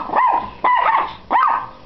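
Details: Pit Bull and Yorkshire Terrier cross dog giving three short, tonal, mid-pitched barks spaced roughly half a second apart, each with a rising-then-falling yelp shape, in a quiet setting.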